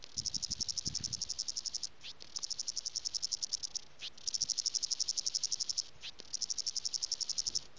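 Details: Summer cicadas in a Western Cape garden, South Africa, in January at 40°C, calling mates or competing; rapid high buzzing pulses in four bursts with short gaps, soft low rustling early on.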